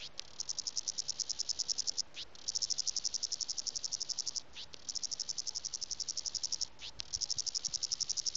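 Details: A cicada calls for a mate in a garden in the Western Cape, South Africa, on a hot January summer day (40°C), with high, rapidly pulsed trills in bursts of about two seconds, separated by brief pauses.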